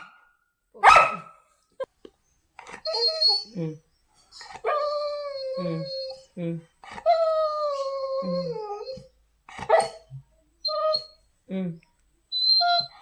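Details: Pet Labrador Retriever indoors whining and howling as its owner prepares to leave, long wavering whimpers with rising and falling pitch, broken by short yelps, a woman's voice speaking to the dog between the cries.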